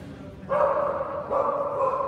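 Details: Kerry Blue Terrier at a national championship dog show in Ekaterinburg on 3 December 2017, giving two loud, harsh, mid-pitched barks about three-quarters of a second apart, each held briefly, over a murmuring indoor background.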